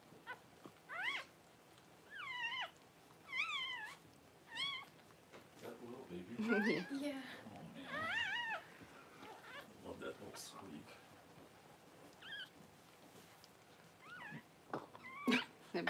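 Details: Freshly born Cavalier King Charles Spaniel puppies as mother dog Paris whelps at home on January 1: high, wavering squeals repeated in short bursts every second or two, some rising then dropping, with soft human voices murmuring in between.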